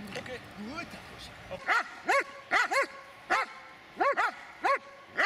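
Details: An adult Dobermann, aged eight years and six months, during attack training: a run of short, sharp barks, often in quick pairs, spread across five seconds, with brief human speech at the start.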